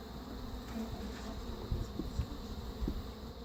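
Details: Honey bees at a defensive hive from a caught feral swarm with some Africanized genes, during queen replacement with an Italian queen; steady low hum of many bees with faint tonal bands and a few soft knocks over background noise.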